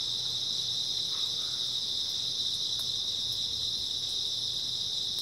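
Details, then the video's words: A clean, continuous high-pitched ringing chorus of grass insects on an early autumn night, steady and unbroken, with only a few faint ticks behind it. "풀벌레 소리"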